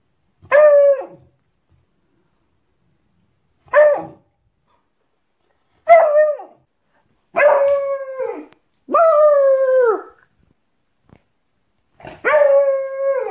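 A beagle puppy gives a series of short, drawn-out howls, each one sliding downward in pitch.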